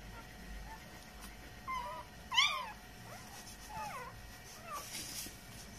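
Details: Newborn Samoyed puppies a few hours after birth give thin, high squeaky cries. There are four or five short rising and falling whines spread across a few seconds, over a soft hiss with faint voices nearby.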